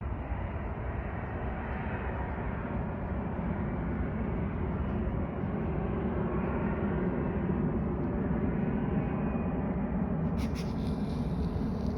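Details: Steady broadband rumble of a vehicle or aircraft engine, dense in the low range, with a brief higher-pitched tone near the end and no animal sound.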